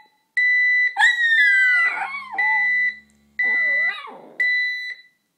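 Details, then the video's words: Pet dog Sasha howling at a beeping alarm clock; a long howl slides smoothly downward over about a second and a half, followed by a shorter wavering whine, with steady electronic beeps sounding throughout. "Sasha Howls at the...alarm clock?!?"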